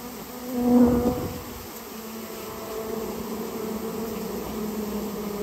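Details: Japanese honey bees, a colony removed from a storehouse where it had nested; a loud close buzz peaks early, then a lower steady hum of many bees continues.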